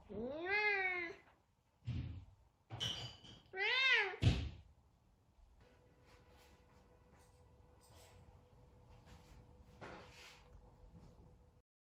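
A Savannah cat gives two drawn-out meows that rise and fall, with thumps between them.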